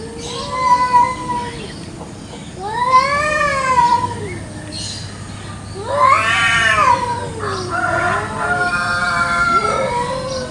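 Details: Village cats fighting over territory in a garden one morning: long wavering yowls that rise and sag, three drawn-out wails a few seconds apart with rich harmonic overtones, and low background noise between them.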